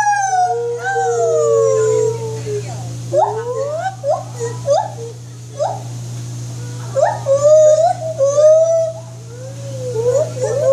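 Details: White-handed gibbon vocalizing: a series of swooping whoops that slide up and down, some long falling notes and short rising hoops, with a steady low hum underneath.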